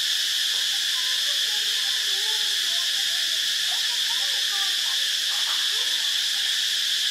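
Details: A cicada (Cicadidae) in Ubon Ratchathani, Thailand, on 25 March 2022 gives a steady, high-pitched electric buzz that drones on without a break.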